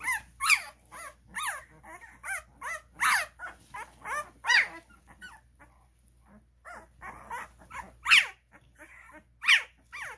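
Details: Cane Corso puppies aged 12 days, kept at a kennel, struggling to crawl out of their room; rapid high-pitched yelps and whines in clusters, a lull mid-way, then loud piercing squeals.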